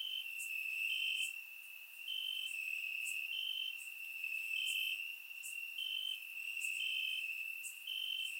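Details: Night chorus of crickets in Bulgarian summer grass, surround-miked: continuous shrill trilling in pulsed bursts of about a second, several insects overlapping, sharp higher ticks scattered through.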